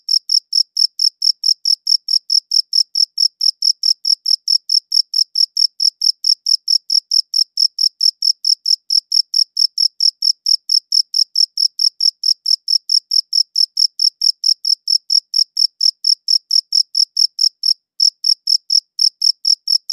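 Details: A cricket chirps in a high-quality recording, a rapid, even train of bright high-pitched pulses roughly four per second, broken by one short gap near eighteen seconds, with silence and no other sound behind it.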